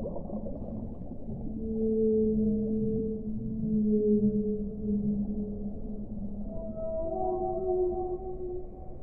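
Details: Whale song for relaxation: long, even, mid-low moaning tones hold steady for several seconds. Shorter, higher notes then step in near the end, all set against a soft continuous wash of background noise.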